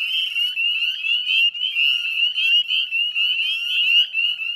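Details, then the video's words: Dense chorus of northern spring peepers at dusk on 18 May 2020 beside the Chezzetcook salt marsh, West Chezzetcook, Nova Scotia, Canada: countless high, shrill rising peeps overlapping into a continuous ringing wall of sound. "Northern Spring Peeper Chorus"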